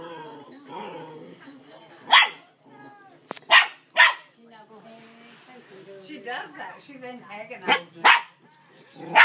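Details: Male dog barking at his sister to get her to play while she stays stubborn; sharp barks in uneven bursts, some paired, mixed with a person talking between them.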